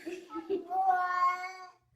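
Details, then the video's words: A female cat, called a good girl by a woman, answers with a long wavering meow that swells and then trails off, after brief soft chirps. "Even Cats Can Talk - Best Talking Cats Vines HD"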